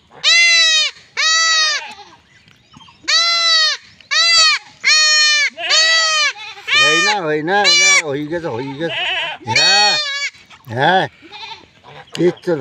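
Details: Small goat being castrated in a village, bleating repeatedly in a rapid, distressed series of high cries, some lower and overlapping, mixed with human voices toward the middle and end.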